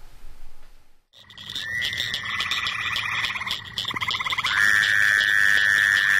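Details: Fowler's toad gives a nasal, buzzy 'waaah' in late April to May, over a chorus of other trilling frogs that has replaced the earlier spring peepers and chorus frogs.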